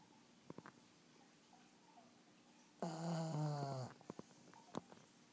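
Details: Sleeping black pug giving one long, loud, rattling snore lasting about a second, deep and strongly buzzing, framed by short soft snuffles and clicks in a quiet room.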